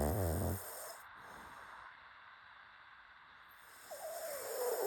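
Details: Sleeping pet pug gives one deep, rattling snore in the first half-second, then quiet hiss follows before a rising, nasal wheeze builds near the end.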